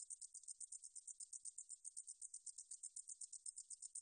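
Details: Katydid 등줄어리쌕쌔기, recorded in Korea in 2020 by the National Institute of Biological Resources. It makes high, rasping, evenly spaced pulses, roughly four per second, in a continuous sizzling series.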